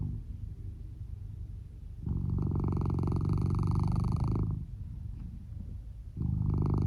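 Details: Male red tabby and white Norwegian Forest Cat, born 2015, snoring while sound asleep under a futon indoors, volume boosted: low, fast-pulsed buzzing breaths, a quieter rasp, then a long loud snore and another starting.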